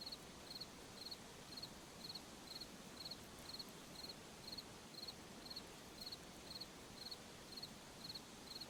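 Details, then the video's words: Crickets in a forest at night, a short pulsed chirp near the top of the range repeating steadily about twice per second, set over a constant soft hiss of rustling background noise. "Sound of Forest at Night, crickets, insects"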